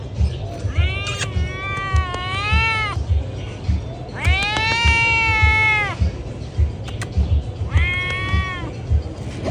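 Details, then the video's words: Pregnant domestic cats meowing loudly: three long, drawn-out wailing meows, each lasting one to two seconds, with a steady low hum underneath. "Pregnant cats meowing loud"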